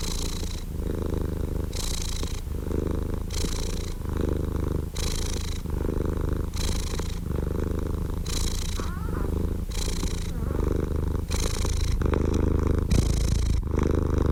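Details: Steady low rumbling purr from a cat, interrupted by airy bursts about every 1.3 seconds as the breath cycles in and out, even and unbroken throughout.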